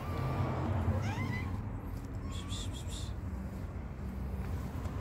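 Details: Homeless street cats in Morocco being fed daily; a couple of short, rising meows early on, partly masked by a steady low rumble of traffic-like outdoor noise.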